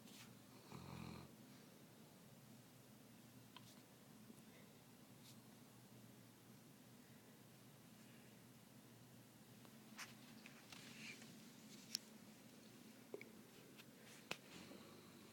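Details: Saint Bernard puppy asleep indoors: one brief throaty snore early on, a fainter breathy one midway, then quiet breathing with scattered light clicks and knocks.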